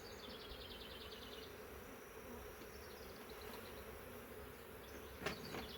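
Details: Massive honey bee swarm caught in a swarm trap, from a wild hive living in the woods for three years. Frames of drawn comb packed with bees give a steady, dense low hum. A bird's high chattering trill sounds early on.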